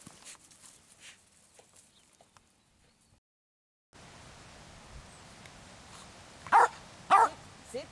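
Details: An 18-year-old Jack Russell Terrier gives two short, sharp barks in quick succession, about half a second apart, then a softer third yelp after a long quiet stretch with light background hiss.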